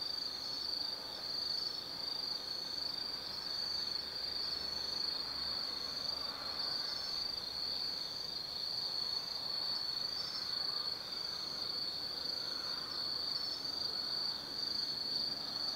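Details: Autumn insects chorusing at night in the Tsukimi no Mori forest, Kaizu, Gifu Prefecture, Japan, beside a lookout over the Nobi Plain: a steady, dense high-pitched trilling drone with faint pulsing, no other clear sounds.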